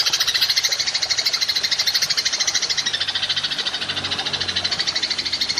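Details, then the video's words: Golden grasshopper (belalang emas), recorded as a masteran training track for songbirds with long 'nembak panjang' bursts: a dense, unbroken rasping pulse train, high and steady, running the full length with rapid regular beats. "Belalang Emas Nembak Panjang"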